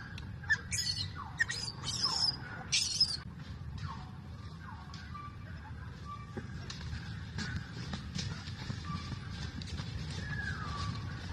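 A young monkey cries for milk with harsh, high screeches followed by softer, falling whimpers.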